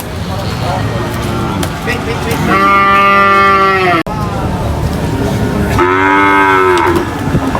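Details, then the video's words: A cow unloading from a truck at a market gives two loud, clear, drawn-out moos about three seconds apart, each steady then tailing off, over crowd chatter and background noise. "funny cow unloading from truck at the market"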